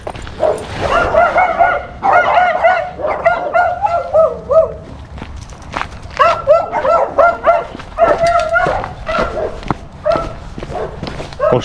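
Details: German Shepherd named Major barking in a village, making noise so other dogs answer; loud, rapid harmonic barks in dense bursts with short pauses, continuing throughout, with some speech mixed in.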